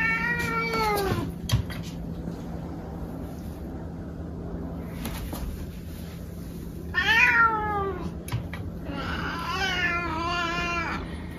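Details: Domestic cats meowing indoors while being weighed on a scale; two descending harmonic meows near the start and a longer wavering, drawn-out meow later, with a steady low hum and a person speaking softly.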